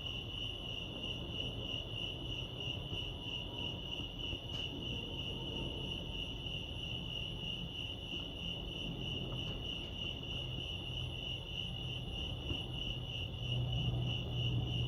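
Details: Cricket chorus at Lake Arrowhead in California, a continuous high-pitched pulsing trill throughout, over soft low-frequency background noise with a couple of brief faint clicks.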